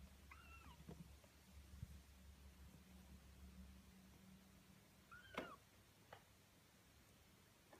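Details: A 19-day-old Birman kitten, one of five, gives short, high, arching meows, one early and another a few seconds later, at close range.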